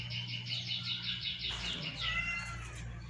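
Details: Domestic cats eating rice at home: a soft, thin meow with a wavering, repeated texture for about a second and a half, then a higher, smoother drawn-out note, over a steady low electrical hum.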